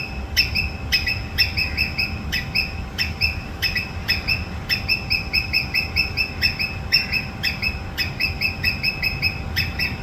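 A squirrel gives harsh, rasping screeches in quick succession, repeated about twice a second as an alarm.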